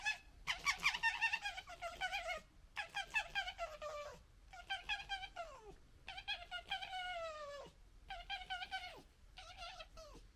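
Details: Red foxes of a local family group fighting and disagreeing, gekkering in repeated bursts of rapid, stuttering, harmonic-rich chatter, some phrases sliding downward in pitch, separated by brief pauses, about two to three bursts a second.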